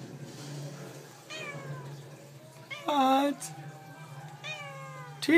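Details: Domestic cats talking and meowing indoors: several drawn-out harmonic meows, one loud strained meow in the middle and a sharp rising one at the end, over a low steady hum.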